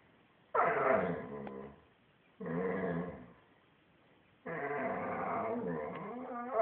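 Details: Pet dog 'talking': three drawn-out, moaning growl-whines, each lasting one to two seconds, wavering in pitch with a throaty, rough texture, separated by short pauses in a quiet room.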